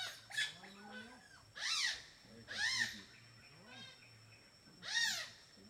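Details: Smooth-coated otters, a playful group in a river in Borneo eating fish for dinner: sharp arched squeaky chirps with bright harmonics, about four loud bursts over several seconds, with softer lower calls and a steady thin high tone behind.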